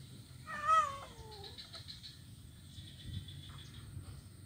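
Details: Kitten, blind, playing on an ironwood bridge in Kuala Kapuas, Central Kalimantan, on 25 November 2019; a single falling meow lasting about a second, followed by quiet ambient hiss and faint chirping insects.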